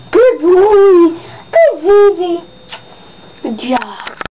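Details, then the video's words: Pet Yorkshire Terrier indoors, singing and copying sounds played on a recorder; drawn-out wavering howls sliding down in pitch, two long bouts, then softer whimpering yips at the end. "Yorkie sings for first time!!!!!!"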